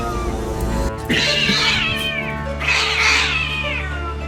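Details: Domestic cat, a mother of four kittens, crying while being chased by another cat as her kittens are frightened; two long, harsh, drawn-out wailing meows about a second and a half each, with a steady low hum behind.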